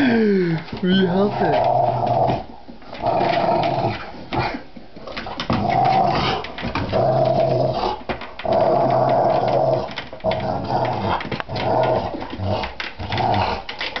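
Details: Rottweiler growling and barking at an office chair it dislikes; repeated rough, throaty growl-barks in bursts of one to two seconds with short pauses, and a person talking over them.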